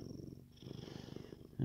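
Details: Happy male Siamese cat purring like a machine: a continuous deep, fast-throbbing rumble with even pulses throughout, only a faint hiss in the background.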